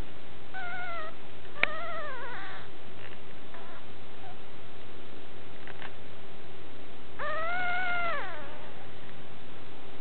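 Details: Puppy giving a few drawn-out, high, arched whines that rise then fall. A sharp yelp comes near the second mark, and the longest whine, about a second, comes near the end, with quiet gaps between.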